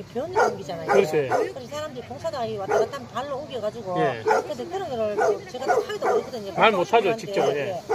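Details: Many abandoned dogs at Hanna's shelter, a rescue shelter in Daegu, South Korea, bark together in a dense, overlapping chorus of short yapping barks with rising and falling tones, continuous throughout, with people talking nearby.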